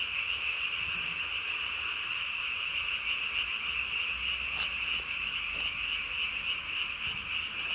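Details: Night chorus of Japanese tree frogs recorded 3 May 2020, the caller puffing its chin vocal sac to body size; a continuous high, rasping trill runs throughout with fast pulses about three per second and occasional faint clicks.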